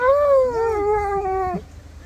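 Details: Excited Siberian Husky greeting a surprise visitor with a long, loud, steady whine that wavers slightly and then cuts off abruptly after about one and a half seconds; faint background hum.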